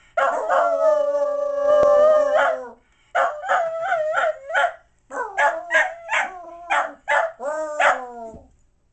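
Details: Happy mixed terrier howling at Christmas over a new present: one long wavering howl, then a string of short, yelping howl notes about a third of a second apart, ending in a falling, drawn-out note.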